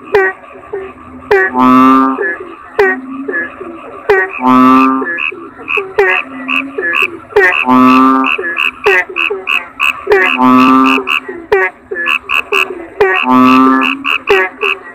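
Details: Kodok bangkong toads in a busy chorus: loud, harmonic, bleating croaks roughly every three seconds, with dense chirps, clicks and ringing pips filling each gap.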